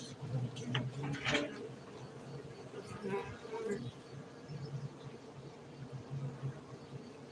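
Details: Honey bees kept for honey cultivation at a Gayo bee farm in Bener Meriah, Aceh, Indonesia: a steady low droning hum runs throughout, with human voices talking over it in the first seconds.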